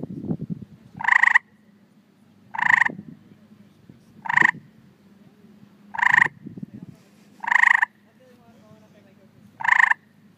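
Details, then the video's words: Tree frogs calling to attract mates: short, harsh, nasal chirps repeated roughly every one and a half seconds, six calls in all, over a low steady hum with faint rustling in the background. "Tree Frog chirping"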